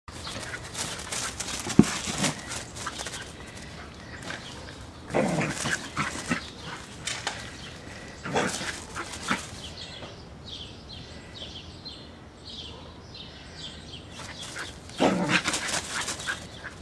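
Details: Australian Shepherd, also called Aussie, giving a few loud, broad, harsh bursts near five, eight and fifteen seconds, separated by quieter stretches with thin, high tonal traces.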